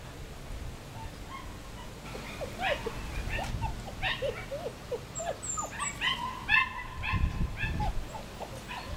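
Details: Six German Shepherd puppies, two males and four females, born 27 July 2014 to Iska v.Muikenshof and Eros v.d.Romerau. A quiet start gives way to many overlapping short whimpers and yips, arching up and down, growing busier toward the end with some low thumps.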